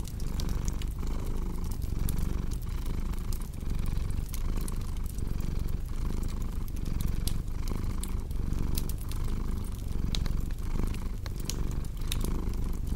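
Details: Steady low purr from a cat, pulsing in breath-length waves about once a second, overlaid with frequent crisp fireplace crackles and snaps throughout.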